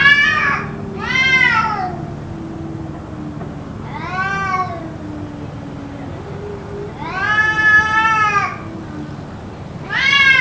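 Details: Yowling cats in an apparent fight heard for about two hours: repeated arching, quavering wails every two to three seconds, interspersed with low growling moans, over a steady background hum.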